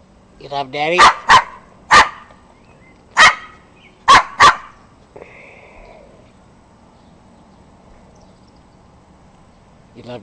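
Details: Yorkshire Terrier, a pet being silly indoors, gives about six sharp yappy barks in the first five seconds, loosely spaced, then quiet; a man's voice talks fondly to the dog afterwards.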